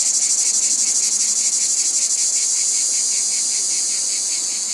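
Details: Cicadas: a dense, high-pitched buzzing drone with a fast pulsing throb of about three beats per second, holding steady in loudness throughout.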